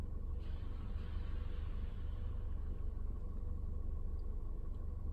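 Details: Continuous low engine rumble from inside a moving car, with no animal sounds.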